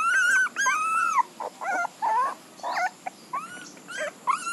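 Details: Puppy whining with long, arched high cries broken by short yelping squeaks, irregular in timing, loud at the start and trailing into briefer whimpers.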